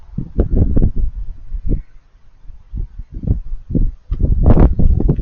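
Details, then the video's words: Raccoons eating with crunchy noises, heard as irregular bursts of chomping and crackling crunches separated by brief pauses, ending with a loud, busy flurry of bites. "Raccoons Eating & Being Cute - Cute Lil Crunchy Noises While It Eats"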